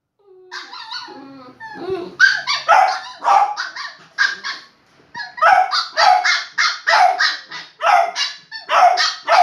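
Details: Shiba Inu and Beagle puppies at play, yapping in short bursts of sharp, high barks and yips, several per second in clusters, with a brief soft whine near the start and short pauses between volleys.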